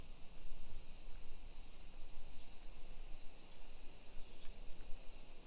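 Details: Cicadas singing on a summer afternoon (1 PM, 28 July 2021) in a modern residential area of Nisshin near Nagoya, Japan: a continuous shrill, hissing drone without pauses, with soft low-pitched footstep and street sounds beneath.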